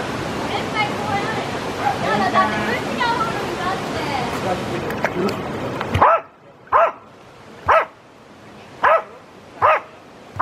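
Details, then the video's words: Jack Russell Terrier swimming, giving five sharp barks about once a second in the second half, after a stretch of speech and background noise. "Swimming Jack Russell Terrier"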